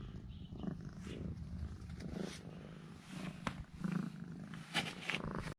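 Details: Affectionate house cat purring after a treat of two sausages from its owner; a low, grainy rumble pulses in waves, with faint rustling and handling noises over it.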